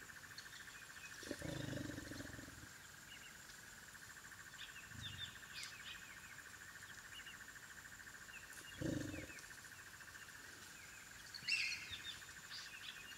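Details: African wild dog puppies at their den: low, rough, broadband bursts, one long around one to three seconds and a shorter one near nine seconds, a fainter one between, over a steady pulsing insect chorus and faint high chirps.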